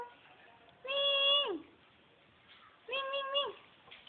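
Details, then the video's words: Domestic cat meowing while someone calls it in Tagalog: two drawn-out, tonal meows about two seconds apart, each steady then dropping at the end, over quiet background hiss. "kitty meow"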